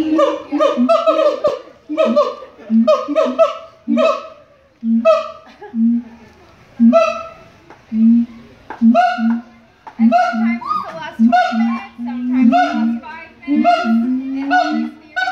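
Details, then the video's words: Siamang singing at the Los Angeles Zoo: loud, strongly harmonic barking hoots in rhythmic bursts, roughly one per second, broken by short pauses, over a low booming undertone. "Siamang singing at the Los Angeles Zoo"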